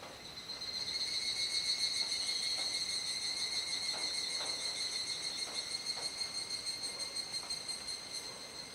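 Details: Evening cicada chorus recorded in Kuji, Iwate, Japan, 17 July 2017, about 19:11–19:25, during the rainy season as the sky darkens. A continuous high, ringing buzz holds level, swelling slightly early, with a few faint clicks.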